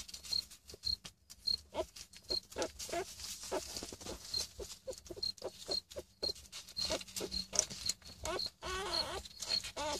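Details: Newborn puppies, almost just born, making soft, high, whiny squeaks and short yelps in quick irregular bursts, with pattering and rustling throughout and a steady high-pitched tone in the background.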